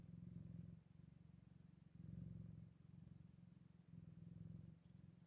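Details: Purring beside Scottish Fold kittens on their eighth day after birth, a deep buzzing drone that rises in pulses roughly every two seconds, breath-like in rhythm, in a quiet room.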